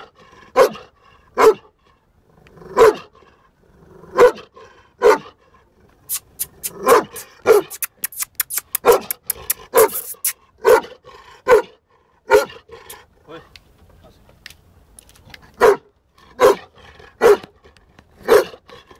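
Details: Young male Bully Kutta, 11 months and 19 days of age, barking steadily and repeatedly, about once per second, with a burst of rapid sharp clicking or tapping midway.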